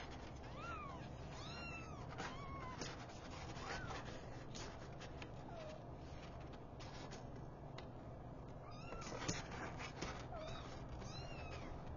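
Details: Mother cat waking her five newborn kittens indoors; high, thin arched mews rise and fall in quick succession through the first half, then come sparser and softer, over a steady low background hum.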